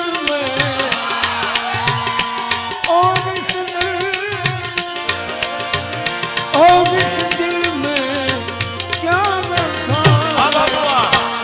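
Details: Upbeat folk-style music with tabla rhythm, sustained melodic tones and singing plays throughout, with no animal sound audible.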